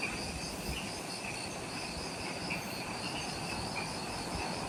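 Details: Jungle insects on Ishigaki Island, Okinawa, Japan, near the Mount Omoto trailhead, calling just after sunset. Continuous overlapping pulsed trills, one high and one lower, run without pause over a thick broadband rush of background noise.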